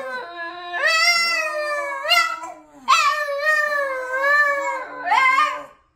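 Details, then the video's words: A singing Boston terrier gives several drawn-out, quavering howls in a room. Each howl rises sharply at the start and then sags, and a lower sustained tone runs beneath them. "Singing Boston Terrier"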